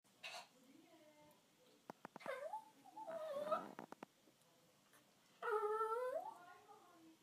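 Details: Milo, a pet dog indoors, fake crying to have his eggplant toy brought down after it fell into his water bowl during fetch: wavering, high, harmonic whines in several drawn-out bursts, with a few sharp clicks between them.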